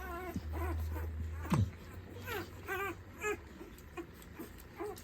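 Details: American Bully puppies whimpering: several short, thin, wavering cries with rising-falling harmonics, spaced about half a second to a second apart, with a low steady hum and faint handling noise underneath.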